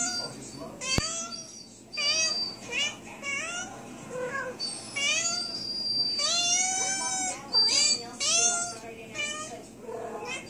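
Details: Female house cat, in pain from a post-spay suture infection, meowing insistently indoors while a second cat comes over. Many short, bent meows follow in quick, uneven succession, a few drawn out and some overlapping, with one sharp tap early on.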